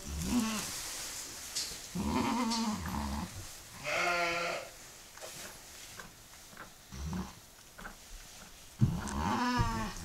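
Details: Mother goat giving birth to her second kid moments after delivering her first; low, drawn-out harmonic bleats rise and fall several times, mixed with rustling, a sharp knock and faint voices.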